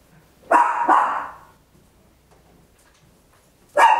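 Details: Papillon, a tiny dog, barking very loud at home, captured in stereo on an Olympus LS-11: a quick double bark, a long pause, then one more sharp bark at the end, with a quiet room behind.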